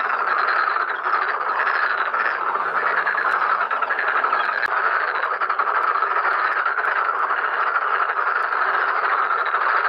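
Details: Dense chorus of many Black-spotted pond frogs calling in a pond during mating and egg-laying; overlapping rattling croaks form a continuous, steady wall of sound with no pauses.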